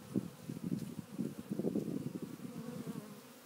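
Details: A heavy swarm of African honey bees that has fallen to the ground, searching for the queen, gives a dense, low, wavering buzz that rises and falls in loudness.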